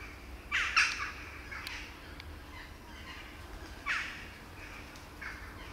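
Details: Baby kittens left without their mother, who hides away, give two short high mews close together near the start, then another pair of fainter mews later on, over a low steady outdoor hum.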